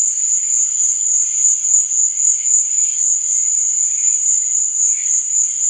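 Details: Crickets chirping at night: a steady, high, shimmering trill that never pauses, like a dense chorus, with faint softer warbling tones underneath.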